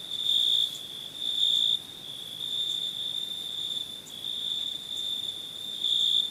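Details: Night cricket chorus, a continuous high-pitched trill broken by brighter, louder stretches at irregular intervals of about one to two seconds.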